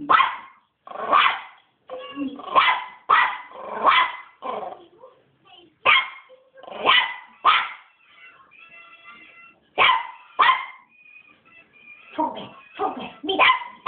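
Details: West Highland White Terrier puppy aged three months, very angry and barking on and on: clusters of high sharp yaps separated by short pauses, a few thin whines between bursts, quiet background.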